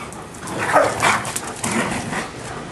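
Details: Giant Schnauzers playing in a backyard on a hot afternoon; two short, rough mid-pitched barks follow each other within half a second, set against a steady hiss of background noise.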